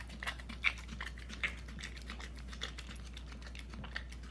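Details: Hunter, a puppy almost a year old, eats peanut butter indoors: soft, wet clicking licks and smacks come in an uneven patter, with a few sharper ticks standing out against the quiet room.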